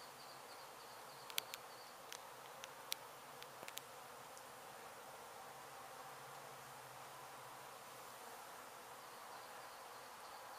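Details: Disturbed honey bees at a hive hit by demolition crews in an abandoned Mission, Texas home, during relocation. A constant broad buzz of many bees, with a cluster of sharp clicks and knocks early on and a faint high tone.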